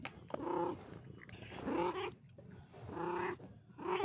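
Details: Domestic cat giving three drawn-out, harmonic meows with a slightly rough, growly edge, spaced about a second apart, over low background rumble.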